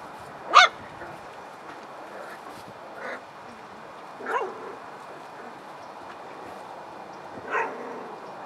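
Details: Hungry puppies at play, giving three or four short, sharp high yelps spaced a few seconds apart, the first loudest, over a quiet hiss.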